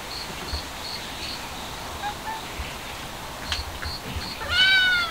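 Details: Stray cat caught by sudden cold, out looking for sunshine; after a quiet stretch of steady high pulsing background chirps, one short, bright, harmonic-rich meow rises and falls right at the end.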